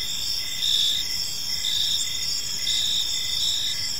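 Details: High, pulsing cricket chirps in a park as evening falls, bright bursts returning almost once per second against a steady shrill chorus and low background rumble.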